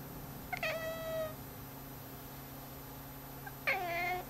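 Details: Indoor domestic cat following a cursor across a screen, meowing twice: a level, sustained meow early on, then a longer bending, slightly wavering meow about three seconds later; steady mains hum throughout.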